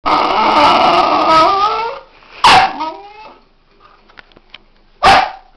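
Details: Female pet dog giving a long wavering, high whine with falling tones, then a sharp yelp-like bark and a second abrupt bark after a quiet gap.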